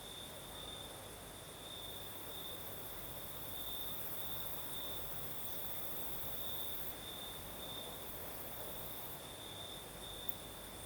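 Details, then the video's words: Crickets in Crimea sing through a southern night, their unbroken shrill trill shimmering steadily. Fainter high hissing rides above it, and a soft breeze rustles beneath. "Звук ночи. Юг. Крым. Сверчки поют."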